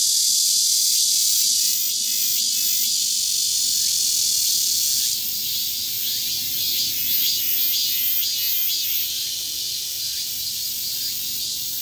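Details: A min-min cicada (Hyalessa maculaticollis) sings while moving at Bongseon Reservoir, Seocheon, South Korea, at 11:40 on 13 August 2023: a loud, dense, high buzzing drone with steady pulses and a tone shift partway; robust cicada.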